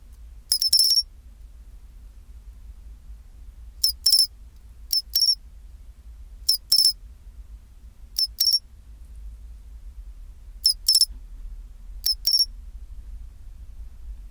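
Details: Pine cricket at 24°C giving its chinchirorin song: short, bright, metallic high-pitched chirps in tight clusters of two or three pulses, the bursts recurring every one to two and a half seconds over a faint low hum.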